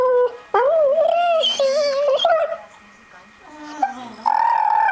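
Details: American Staffordshire Terrier, a pet dog, going crazy at a Nokia mobile phone sound: a loud wavering howl with rich harmonics that rises and dips, then breaks off and resumes as a steadier high tone, with brief flat electronic tones.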